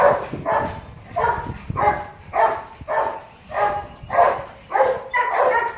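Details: At Gervi Kennel, male Rottweiler Loki, nearly two and a half years old, barks during play about every 0.6 seconds, each bark a short, full-toned burst in an even rhythm.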